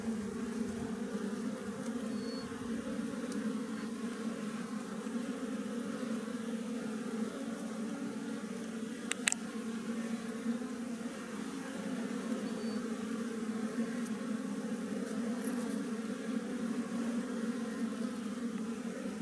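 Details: A wild honey bee colony in a tree hums steadily and low, the massed buzzing unbroken across the recording, interrupted only by a brief sharp click or knock about midway.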